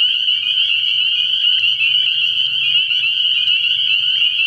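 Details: A dense night chorus of spring peepers from a frog pond in early spring: rapid, high, whistled peeps pile on each other into a continuous ringing, with faint low murmuring below.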